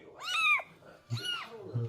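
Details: Stray cat met outdoors during a rescue, two clear meows with arched rising-then-falling pitch, the second softer and trailing off, with a person speaking quietly nearby.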